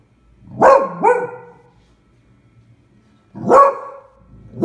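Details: Beagle named Eva barking at a pram she takes for a terrible beast, recorded February 20, 2016; two quick harsh barks, a pause of about two seconds, then another bark and a final clipped one.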